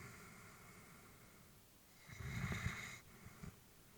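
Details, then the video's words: Sleeping elderly female Labrador Retriever indoors, one soft, breathy exhale with a light snoring rasp lasting about a second after a quiet stretch, followed by a faint short puff of breath. "Elderly dog sleeping with breathing sounds"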